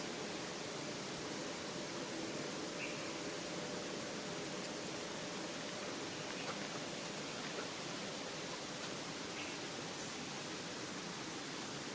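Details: Dense, even hiss like rushing water or static fills the whole recording.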